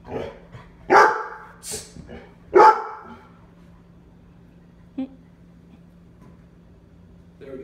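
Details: Labrador Retrievers in a home in Omaha, barking at the door during a behaviour training session: three loud sharp barks in the first three seconds, then quiet with a steady low hum and a faint knock.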